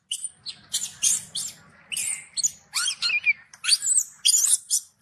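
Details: Angry baby macaque denied milk by its mother, screaming in a steady string of harsh, piercing bursts, some with squealing rising-and-falling whistled tones, barely pausing across the whole stretch, over faint low rustle.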